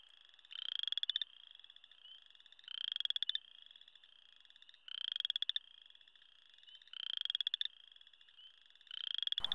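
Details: Chorus frogs call loudly at a spring wetland just after ice-out, with rising, rasping trills like fingers run along a comb, repeated every few seconds; they can also call from roadside ditches.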